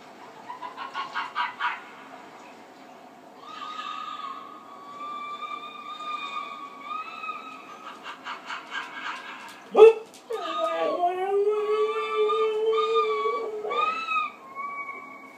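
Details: Husky at home calling toward the television as it searches for the on-screen animal: quick yelps at first, then long level whines, and near the middle a sharp loud cry dropping into lower, wavering moaning talk.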